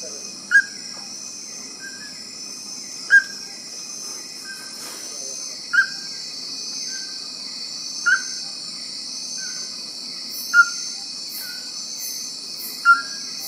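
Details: Resonant, whistle-like notes from a calling male Bornean tree-hole frog in Sabah rainforest near Sepilok, six spaced roughly every two and a half seconds with faint trailing tones between, over constant shrill insect chorus.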